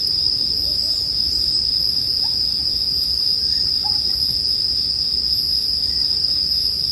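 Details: Bell crickets in a sleep-music soundscape with a bonfire: a steady, unbroken high ringing drone holds throughout, with a fainter shimmer above it and a few soft, faint chirps lower down.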